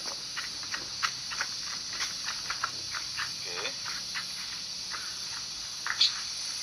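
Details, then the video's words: Background cicadas during an outdoor camera test, heard as a continuous shrill, even buzz throughout, overlaid by irregular clicks, thumps and brief handling noises. "Kemudian di latarnya ada suara tonggeret ya, suaranya serangga."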